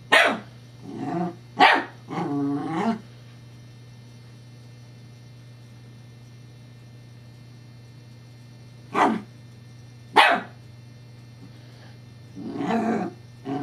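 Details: Scottish Terrier Evangeline plays with a teething pacifier toy. Sharp barks open the clip, followed by a rumbling growl, a long quiet stretch, two isolated barks, and a final growly bark over a constant low hum.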